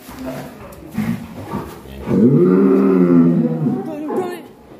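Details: Mysterious black bull on the rampage in Alas Purwo village: one sustained, low, droning moo of about a second and a half, after brief chatter.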